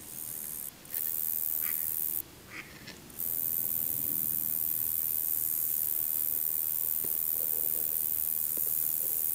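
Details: A male Roesel's bush-cricket (Metrioptera roeseli) sings a continuous, very high-pitched sizzling buzz, broken by two brief pauses.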